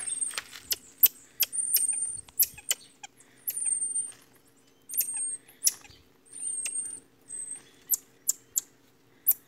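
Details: A young marmoset, one of several raised free-roaming on a farm, gives thin, very high whistles and sharp clicking chirps in an agitated series, described as angry.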